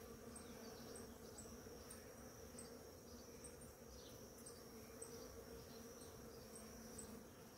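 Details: Bees by the dozen work a blooming ora-pro-nobis in the morning, making a continuous low buzzing hum. Faint high chirps come regularly throughout.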